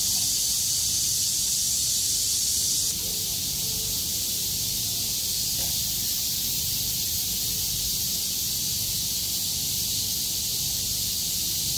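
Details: Cicada chorus after a heavy rainstorm ends and the sky clears, 6 August 2020. The insects shake their wings to sing at full volume. An unbroken high buzzing wash drops slightly in loudness after about three seconds, with faint low sounds beneath.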